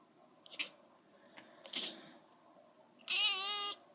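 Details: Male pet cat calling while chasing a laser pointer: two faint, brief chirps, then a loud, drawn-out harmonic meow lasting under a second near the end, over a low steady background hum.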